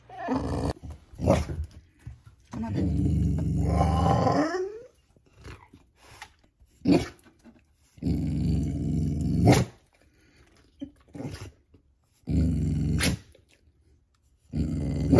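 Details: Pet dog Beau gives his "let's get going" growl, likened to Chewbacca: low rumbling growls, one long with a rising whine at its end, then shorter growls about every two to three seconds, with sharp clicks between.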